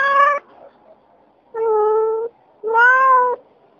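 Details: Adult domestic cat meowing three times: one short bright meow, then two longer, steadier, slightly lower and more drawn-out calls, with quiet gaps between.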